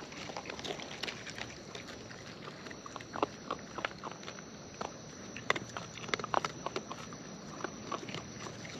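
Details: Wild raccoons eating nearby, producing a steady run of irregular crackling chews and sharp snapping bites against quiet background.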